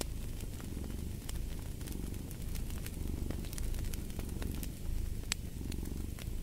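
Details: Domestic cat purring steadily, a deep continuous rumble with faint rhythmic pulsing, laid over the sharp scattered crackles and pops of a fireplace fire.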